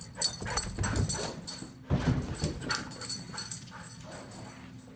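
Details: A Siberian Husky gives short whiny yips and whimpers amid thumping noise while exercising inside the house, a sign it needs walking.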